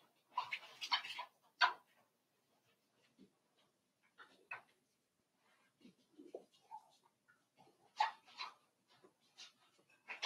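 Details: Cavalier King Charles Spaniel puppies, five weeks old, in Daisy's puppy pen: scattered squeaky whimpers and short yelps come in uneven bursts, with soft lower grunts and shuffling between them, in a quiet indoor room.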